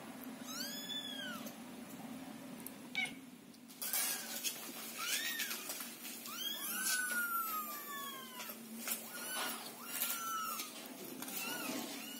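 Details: Scottish Fold kittens waiting in a box while their house is cleaned call with high, thin, overlapping meows, rising and falling, some drawn out, as the mother cat nearby calms them; faint rustling behind.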